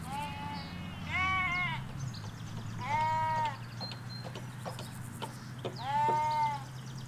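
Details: Sheep, ewes with their lambs, grazing a Hampshire countryside field, recorded in stereo from along a hedge: three clear quavering bleats about every two and a half seconds, one high-pitched, over a low rural hum and faint birdsong.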